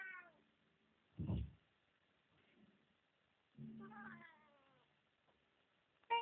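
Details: A one-year-old Siamese cat vocalizing for the camera gives the tail of a meow, then a dull thump, then a longer wavering meow that rises and falls, and the start of another cry at the end, with silence between.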